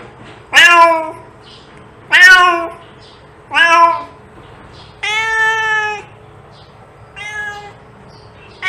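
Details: Domestic cat meowing, a sound meant to attract other cats: six clear, drawn-out meows, some rising then falling and others held steady, spaced roughly one to two seconds apart against a faint steady hum.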